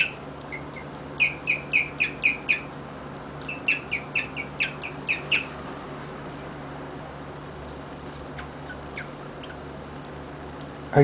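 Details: Rigel, a pet guinea pig, chirping in two short bursts of quick, high, bird-like notes separated by a brief pause, then falling quiet; soft background hum and a few faint clicks, with a louder knock at the end.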